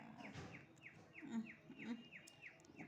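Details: Several kittens nursing together, each suckling milk; a series of short, high, downward-sliding mews repeated about every third of a second over a low background murmur.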